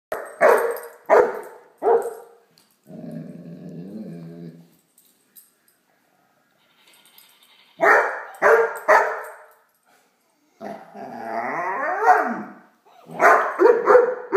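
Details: Great Dane puppy playing with a toy dog gives clusters of sharp barks in groups of two or three, with long pauses between clusters. A wavering electronic toy sound plays twice in the gaps.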